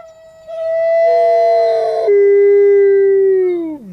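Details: A wolf at the Wolf Conservation Center in South Salem, New York, gives a long, steady howl that holds a low tone before sliding down and fading out.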